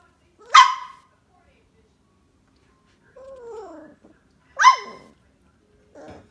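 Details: Dog barking at home during a visit by a Boxer puppy to a German Shepherd. Two sharp, loud single barks come about four seconds apart, with a quiet human voice speaking between them.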